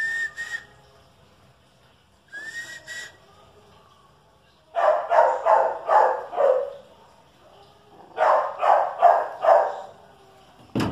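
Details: Dogs, a Chihuahua and a dachshund facing off, give two quick runs of four to five sharp barks, each run lasting about two seconds, after two short high whistled notes near the start.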